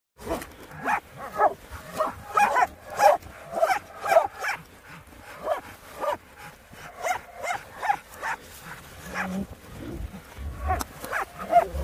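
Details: Laika hunting dogs barking hard during a wild boar hunt, part of African swine fever control work; many rapid, ragged barks repeated about once a second, several dogs overlapping, with rough outdoor noise.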